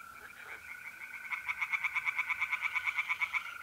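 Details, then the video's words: Night chorus of tree frogs at a pond in North-East Italy, mid-April. Quiet at first, then a loud burst of rapid, evenly spaced rattling pulses, backed by the unbroken, even trill of mole crickets. "relaxing singing tree frogs in pond"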